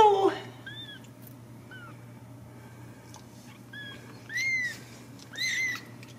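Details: Ragdoll kittens raised indoors without cages at a cattery in central Kansas: high, thin mews arching up then down, about five spread over six seconds and growing louder toward the end, after a person's brief greeting at the start.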